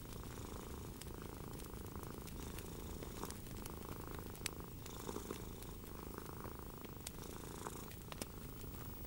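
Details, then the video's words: Soft continuous purring from a domestic cat beside a crackling fire in the evening; a low vibrating drone with faint rhythmic swells, overlaid by intermittent pops and crackles of burning wood. "Enjoy a Relaxing Evening with the Gentle Purring of a Cat and a Crackling Fire"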